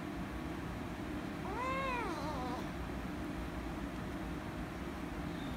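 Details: Rescue kitten angry at being petted utters one short wavering meow, rising then dipping, against a steady, fairly loud background hiss and hum.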